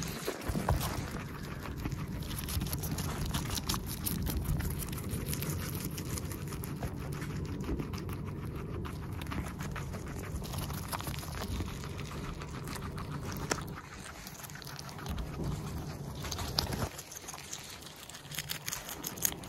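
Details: Guinea pig eating, filmed close up at its nose and mouth for ASMR: dense runs of crisp, rapid crunching clicks from chewing, uneven in rhythm, over a steady low rumble, briefly quieter near the end.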